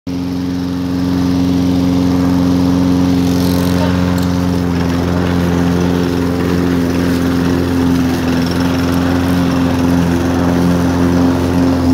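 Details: A lawn mower engine drones steadily throughout, with strong low humming tones and a constant mechanical rumble. No animal voices stand out.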